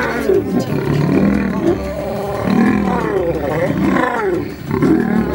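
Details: Male African lion in a fierce fight defending its territory: loud, continuous snarling growls with wavering, rising and falling tones over a deep rumbling base.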